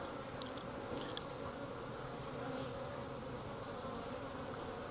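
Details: Honey bees of a wild swarm hanging from a tree branch, caught and moved into a nuc box: continuous thick droning hum from countless wings, steady throughout, with light tapping sounds early on.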